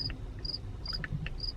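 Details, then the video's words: A cricket hiding in a rick of firewood at a truck stop in August gives short, high, pure chirps at a steady pace, roughly one every half second. "If you hear that, it's a cricket."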